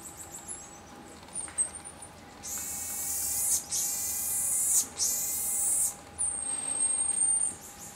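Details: Common marmoset producing long, harsh, raspy bursts of about a second each, three in close succession, with a thin high whistle just before and a clear high whistled note at the end.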